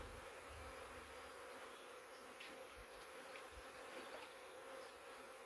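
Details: Honey bees still packed inside a swarm trap box after catching a huge swarm from a three-year-old wild hive in the woods; an even, sustained hum of many wings with a few light taps.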